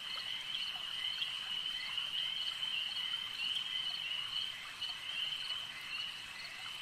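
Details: Chorus of frogs at a lake, a loud continuous high-pitched trill forming a steady band, dotted with brief sharp clicking calls and softer chirps in the background.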